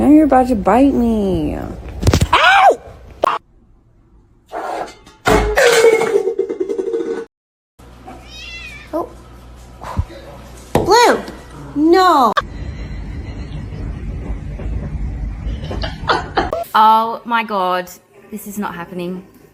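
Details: Domestic cat meowing several times, drawn-out arching cries with rich harmonics, mixed with human speech, thumps and a low hum; silent gaps between short scenes.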